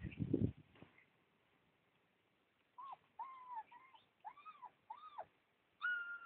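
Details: Husky puppies whimpering: after a burst of rustling at the start, a series of thin, high whines rising then falling in arched shapes, six or seven short cries close together, ending on a longer steady whine.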